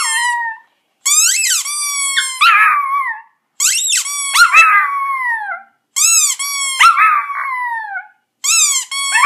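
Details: Chihuahua kept as a pet howls at a squeezed squeaky toy, August 2014, indoors; bright repeated toy squeaks about every two seconds, each answered by a wavering, descending canine howl.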